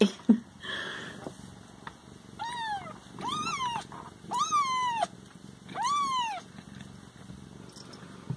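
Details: Siamese cats kept indoors, plural, meowing while being kept from eating: four long, loud arched meows with rich harmonics, each under a second, spaced about one to one and a half seconds apart, a faint low hum underneath.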